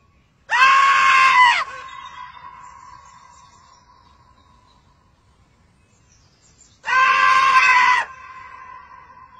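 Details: A marmot, whose calls are heard at night in mountainous areas, gives two loud, shrill, steady screams about six seconds apart, each lasting about a second.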